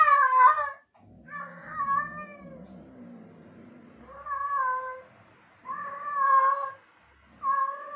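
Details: Male domestic cat in heat calling to attract female cats, a run of long, wavering yowls with strong harmonics, separated by a lower, softer murmuring growl between calls.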